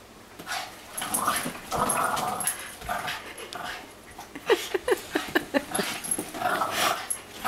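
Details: A Boston Terrier and a Great Dane play-fight indoors: gravelly growls alternate with a run of short, sharp yips in the middle, then another growling burst, with rustling movement throughout.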